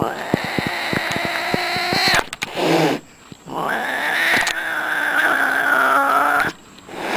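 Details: Domestic cats in a fight: a drawn-out, harmonic, wavering yowl with sharp clicks and knocks at the start, a brief break, then a second long, steady, nasal wail.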